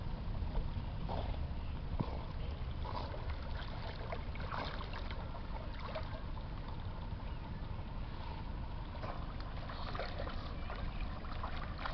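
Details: Steady low rumbling water and boat noise by a river runs throughout, with no animal sound heard.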